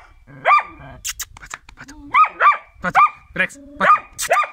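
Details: Karelian Bear Dog during training: sharp, rising-then-falling barks given singly and in pairs, with clicks and a faint voice between them.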